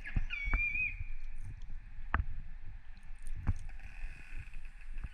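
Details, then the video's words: Wild orcas underwater in northern Norway, December 2018, recorded after dark by divers among the whales: a single sweeping whistle at the start, then scattered clicks and knocks over steady low water noise. "Wild free orcas audio sound"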